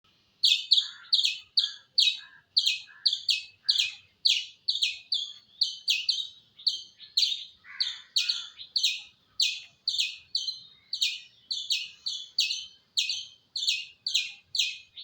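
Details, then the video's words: Squirrel in an original recording with no added effects, giving a long, steady series of sharp, high chirps, about two per second, each a quick double note, with a clean quiet background. "Squirrel Making Sound"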